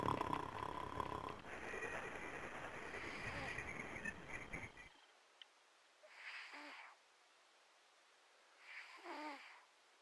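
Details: Callie, a sleeping cat, snoring: after five seconds of loud rustling noise, two soft, wheezy snores sound about two and a half seconds apart, each ending in a falling, buzzy tone.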